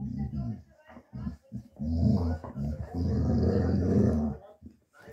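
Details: Male Dogo Argentino mix puppy, born 1 August 2023, in foster care in Osnabrück, Germany, December 2023: low rumbling growls in long sustained stretches with rich harmonics, broken by short pauses and a few brief grunts.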